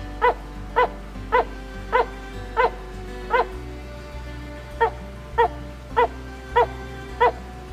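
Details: Barking tree frog calling at night as the sun sets, short sharp barks like a small dog repeated roughly every half second, about a dozen in a steady series, over background music.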